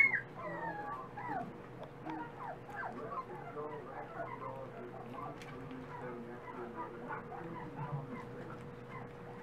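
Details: Several dachshund pups feeding give a steady stream of short, wavering whimpers and squeaky whines that overlap constantly at an even, soft level, with a faint low hum underneath.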